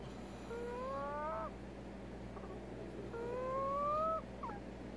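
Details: Two drawn-out, rising, whistling whines with layered overtones from Veronica, a prairie dog with an odontoma, in an abnormal sound flare-up. Each lasts about a second, then a brief faint squeak follows, over a low hum.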